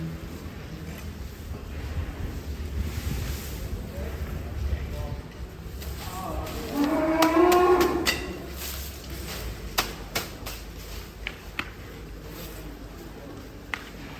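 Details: Giant Indonesian cattle raging while being fed and weighed; a loud, harmonic moo rises and swells for about two seconds midway, with sharp knocks and clatter afterwards and men's voices in the background.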